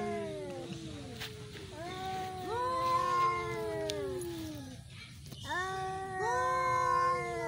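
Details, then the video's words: Cats in a fight, drawn-out wavering yowls with strong harmonics, each swelling then sliding downward over several seconds, one caller overlapping another, a short gap near the middle before a fresh rising howl. "Cat Sound Fighting | Cat fight"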